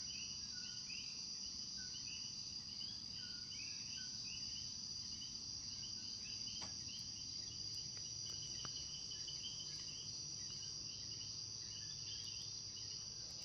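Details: Common coquis (Eleutherodactylus coqui) in Puerto Rico call a repeated two-note "co-qui" at nightfall over a steady, high insect drone.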